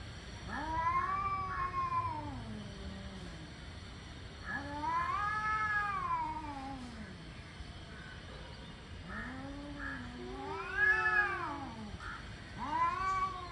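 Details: Two angry tomcats trading warbling, rising-and-falling yowls as they work up to a fight, several long howls alternating and overlapping across the recording.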